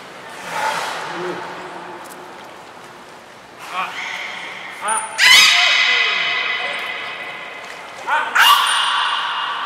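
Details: At Port of Nagoya Public Aquarium, Japan, 7 October 2018, belugas Nana and Niko in training: soft low tones first, then loud squeaky, harmonic bursts with downward slides, each paired with a short high whistle, voices in the background.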